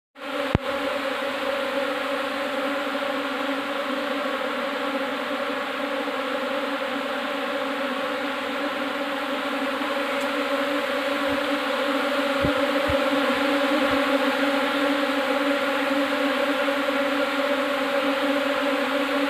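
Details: Asian honey bee (Apis cerana indica) swarm newly arrived in a hive box: dense, continuous droning buzz with a steady low hum and layered overtones, growing slightly louder toward the end, with a few faint clicks.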